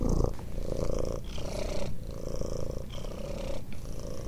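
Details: Ginger domestic cat purring loudly indoors: a steady low rumbling purr with alternating inhale and exhale phases, each lasting about a second, continuous throughout.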